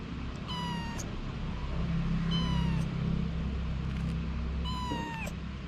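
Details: Mother cat Anna with her kittens. Three drawn-out, falling meows are spaced about two seconds apart. A steady low hum, like an engine, runs underneath.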